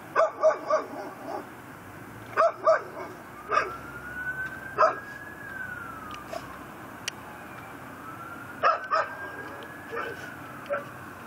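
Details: Tethered pit bull barking on a Chalmette, Louisiana porch at 10:30pm, December 18, 2012: clusters of two or three sharp barks repeated through the clip while a distant siren rises and falls in the background.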